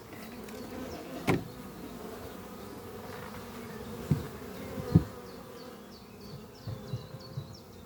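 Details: Worker honey bees in flight around their hive under trees on a spring morning, bringing in pollen; continuous low buzzing drone broken by occasional knocks, with faint high chirping notes from another animal late in the recording.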